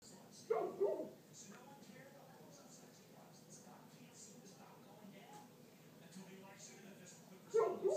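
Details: Great Pyrenees barking: a loud, deep double bark opens and another closes the stretch. Quiet murmuring voices fill the gap between them.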